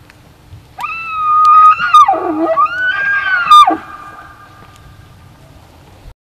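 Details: Rut-season elk (Cervus elaphus), Benezette township, Elk County, Pennsylvania: a loud, piercing bugle, a sustained high whistle that dips, rises again and breaks off sharply, with faint low rumble behind.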